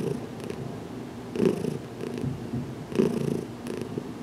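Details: Domestic cat Heidi purrs during her first head massage indoors, a closet setting, still adjusting to being touched; a soft continuous rumble rising into two stronger pulses about one and a half seconds apart.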